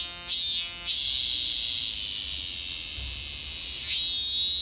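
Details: Robust cicada perched on a Kousa dogwood tree in summer, giving a sustained high buzzy drone after two quick pulses, then breaking into a louder bright surge near the end.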